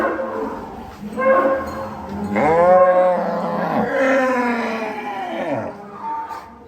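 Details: Cattle at Sumber Ternak Farm in Indonesia, a large pen holding about a thousand cows: several overlapping drawn-out moos, one short low call followed by a long rising-then-falling bellow and further sliding calls, with faint human voices.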